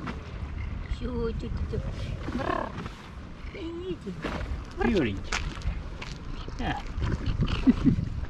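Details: Hungry stray tabby cats on a wharf in Istanbul, waiting beside fishermen for fish, give short bent meows that rise and fall, scattered through the stretch among a woman's talk and harbour noise.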